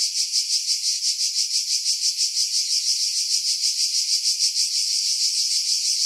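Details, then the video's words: Cicadas singing in pine trees about 50 m above the sea at Pefkos Bay, Skiros Island, Greece, in July 2018: a continuous high, hissing buzz pulsing about three times a second, filtered to remove wind buffeting. "Cicada Sounds, July 2018 Skiros, Greece"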